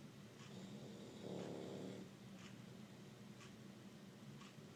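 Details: Bulldog snoring while asleep on an air-conditioning vent: one long, low, rough snore swells and fades over about a second, set against steady airflow hiss.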